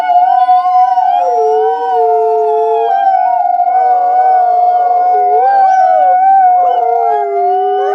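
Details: Wolves chorus-howl, a sound for communicating and bonding with the pack: one sustained level tone holds throughout while other voices drop lower, waver and rise beneath it, with no other sounds.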